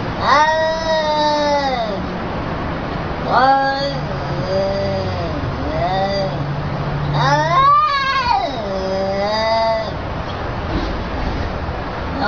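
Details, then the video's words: Pet cat under a scolding, uttering a string of wavering, whiny meows that bend up and down, five or so calls packed closely together over a low steady hum. "CAT GETS BOLLOCKING"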